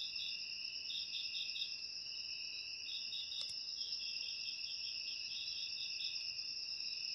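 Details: Continuous high-pitched cricket trilling, offered as a natural rat repellent. A layered shrill drone is broken by runs of rapid pulsed chirps and a single brief sharp click partway through.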